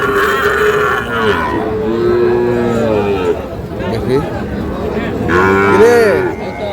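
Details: Sahiwal bull calves for sale at Khochabari cattle market, Dinajpur, 10 April: two bouts of bellowing, the first long and sliding downward, the second shorter with an arched rise and fall, amid busy market voices.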